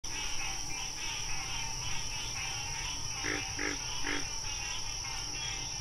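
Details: Wild frogs: three short, low croaks in quick succession near the middle, set against a continuous pulsing high chorus and a steady droning music-like background.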